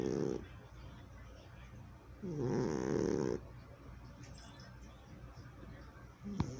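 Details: A sleeping cat, still healthy in 2020, snores: a short rasping burst at the start, then a longer rattling snore of about a second, with quiet breathing between and a faint click near the end.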